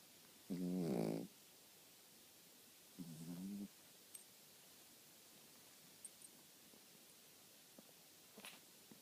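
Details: A dog snores while asleep, giving two low, vibrating, droning snorts a couple of seconds apart, then quiet breathing with faint small clicks.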